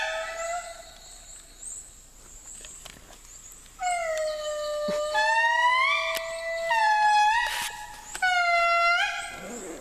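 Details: Endangered indri lemurs, found after hours of trekking, calling back after a guide played a recording of their song: long, piercing, wailing tones that hold steady and then swell upward in pitch, several voices overlapping into a loud chorus.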